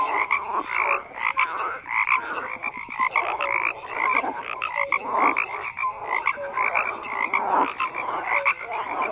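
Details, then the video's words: Continuous chorus of frogs croaking: overlapping raspy bursts and short tonal pips, several callers at once, loudness rising and falling irregularly throughout. "FROGS CROAKING"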